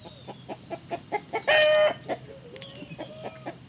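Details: Clancy, a six-month-old classic red tabby Maine Coon, chattering at chickens for the first time: quick, evenly spaced clicking pulses about five per second, broken by a loud harmonic squawk midway and a thin drawn-out tone near the end.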